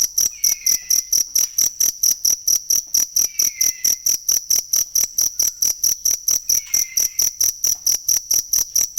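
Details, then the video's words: Cricket used as a master sound for cage songbirds, giving regular piercing chirps about twice a second without a break, accompanied by an occasional faint, gliding, downward whistle in the background. "ASLI SUARA JANGKRIK BUAT MASTERAN BURUNG"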